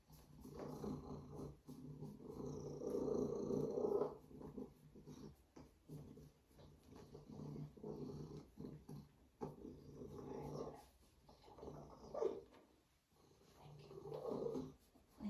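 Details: Female Savannah cat showing off a strong purr, a low rough rumbling that rises and falls in long waves, pausing between breaths, with some rustling close by.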